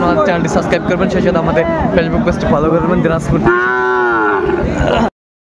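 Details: Sahiwal bull calves, 20 January 2025, bought by a farmer from Dhaka: after a stretch of busy chatter and short lowing sounds, a loud, sustained moo holds steady for over a second before the sound cuts off abruptly.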